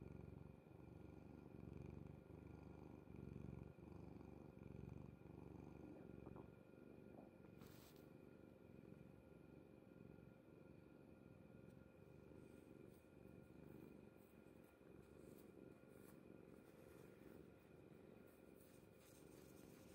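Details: Kuri, a pet cat sleeping peacefully on mother's bed indoors, purrs in a low continuous rumble with pulses rising and falling with each breath. A steady faint electrical hum runs underneath, with a few soft rustles.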